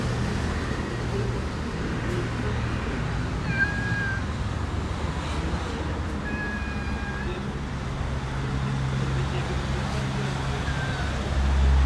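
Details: Alley cat in a park being fed, mewing thin, drawn-out level cries about every two to three seconds against constant loud traffic rumble.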